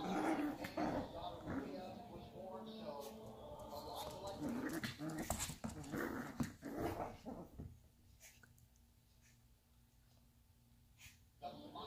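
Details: Boston Terrier puppies playing together: a busy run of short harmonic yips, whines and growly sounds over the first seven seconds, mixed with a human voice, then a quieter stretch with a steady low hum and a few clicks.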